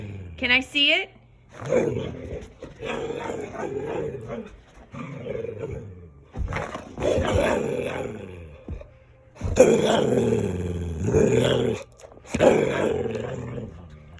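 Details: Playful Dalmatian dog making gremlin-like sounds while playing indoors: drawn-out, rumbling, harmonic grumbles in bursts of one to two seconds, with a brief high wavering whine near the start and human voices mixed in.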